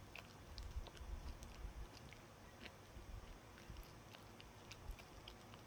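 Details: Indoor dog chewing a dog chew: soft, fairly steady gnawing with low thuds and light scattered clicks, roughly two bites per second.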